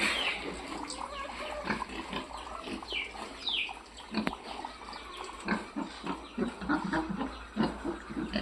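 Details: A group of F-1 piglets heard softly: low scattered grunts with brief high squeals clustering early on, plus one sharp click partway through, over steady faint background hiss.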